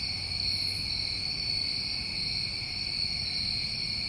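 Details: A brief stretch of New England summertime crickets at night gives a steady, piercing, layered trill without pause, over a faint low murmur.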